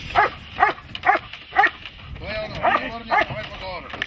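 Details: Dog barking during protection training: about five sharp, harmonic-rich barks spaced roughly half a second apart, then a pause and a few more barks. A handler's voice gives encouraging praise in a Slavic language.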